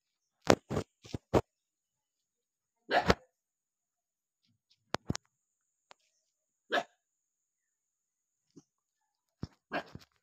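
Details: Angry dog barking: short harsh barks in quick clusters, a double bark near the start, a longer bark at three seconds, then single sharp barks spaced a few seconds apart with silence between.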